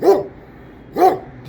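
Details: Kangal dog giving two separate deep barks about one second apart, each short and rich in harmonics, with near silence between them.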